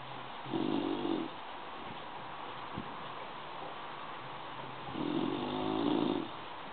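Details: Sleeping bulldog snoring, two long rasping breaths about four seconds apart, each lasting under a second, with quiet hiss between them.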